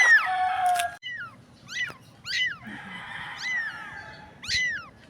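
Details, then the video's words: Lost stray kitten on a dirty street, seemingly blind and separated from its mother, giving a run of loud, piercing mews, each a quick rising-then-falling cry, five or so in five seconds over a faint background hum. "POOR CAT CRYING DIRTY STREET STRAY WANTED HELP CAT SAD STORY"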